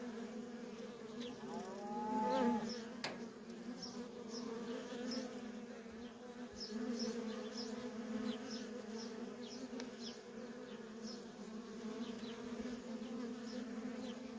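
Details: Constant low buzzing from busy worker honey bees at a feral colony, swelling briefly near the start, with scattered high, short bird calls throughout.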